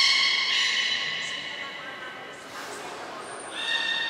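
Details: Beluga voices from a brief training session at Port of Nagoya Public Aquarium on 25 July 2021; a loud layered harmonic call trails off, a high whistle sounds, then another rich tonal call rises.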